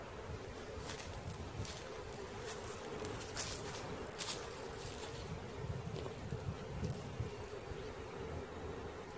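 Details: A honey bee swarm being caught gives off a steady, dense, low humming drone with a faint band of tone through it. Scattered brief ticks and rustles break the even buzzing.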